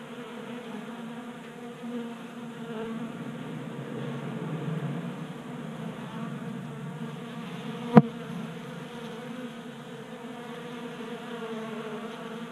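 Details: Group of honey bees gathered at a 3D-printed bee feeder on a Colorado workbench in mild January weather. Even, low droning buzz with harmonic layers, swelling slightly, interrupted by one sharp tap.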